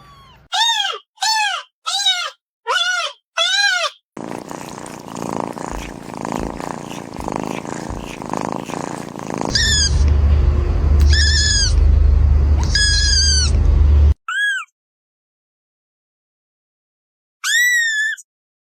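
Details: Young kitten with a rapid run of four short, high mews, then a stretch of rumbling noise with a few mews over it, then silence and one last thin mew.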